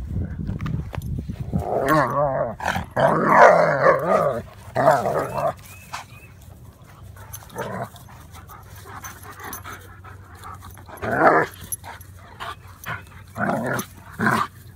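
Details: Two dogs, German Shepherd Odin and Labrador Remington, tussle in a garden play fight; clustered snarling growls and gruff barks come in bursts, then sharp isolated woofs toward the end, separated by quieter pauses.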